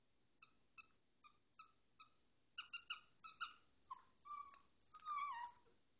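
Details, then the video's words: A puppy that fixates on squeak toys whines after tormenting a toy duck. A run of evenly spaced, sharp squeaks gives way to drawn-out, wavering, falling whines near the end. "Bonus Puppy Whining"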